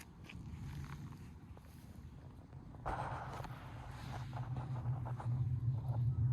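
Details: Sabi-chan, a tortoiseshell cat who freezes when approached, purring: a low, steady rumble that begins faint and swells over the last two seconds, following scuffing and rustling noises.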